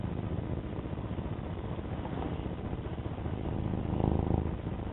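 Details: Pet cat Alfie purring close up: a deep, even, vibrating rumble that holds throughout, with a slight swell in loudness near the end.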